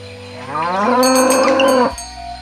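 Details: Healthy, well-fed cattle walking to the field in the morning give a single loud moo lasting about a second and a half, rising at the start and then held steady, with faint background music.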